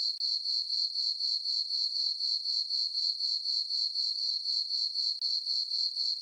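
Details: Summer-night cricket chorus in a moonlit farm meadow, a thin high-pitched chirp repeating rapidly at around four pulses each second, regular and continuous, with one brief dip near the start and nothing else audible.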